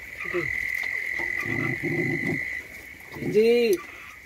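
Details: Puppy sleeping outside in the rain gives one rising-then-falling whine near the end, after a stretch of low rough murmuring; a steady high tone, rain patter and a few faint frog croaks sit behind.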